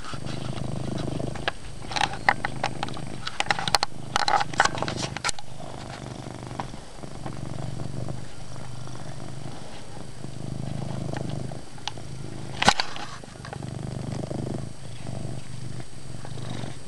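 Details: Chase the cat keeps up a loud, even purr indoors at night-dim lighting, a deep steady drone with soft rhythmic swells, interrupted by scattered clicks and rustling, louder around the middle and near the end.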